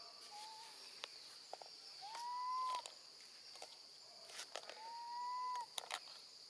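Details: Baby female monkey left alone with her grandmother, calling for her mother: three tonal cries, one short and two long, rising and then slightly falling wails about three seconds apart, over a constant high insect hum and scattered clicks.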